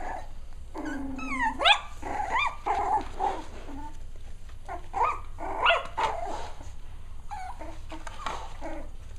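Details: Six-week-old Cavalier King Charles Spaniel puppies at playtime: squeaky yips, rising whines and short high barks overlapping one another, with low growly tones in between, several pups calling at once.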